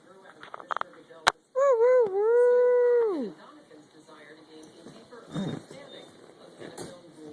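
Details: Pet dog named Jeter howls indoors: a loud, wavering tone that steadies and holds for over a second, then slides downward and fades, with a woman's voice talking softly before and after.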